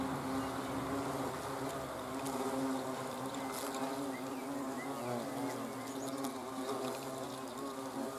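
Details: Dense, continuous humming of hornets recorded 30 June 2020, a low buzzing tone with many harmonics and slight pitch wobble throughout; a few faint high bird notes are heard.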